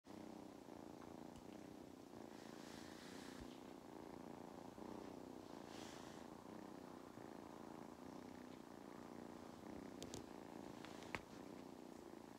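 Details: Mustard, a cat on a regenerative farm in County Kilkenny, Ireland, purring while enjoying belly rubs and attention; a steady, rumbling low drone runs throughout, with faint rustling and a couple of sharp clicks near the end.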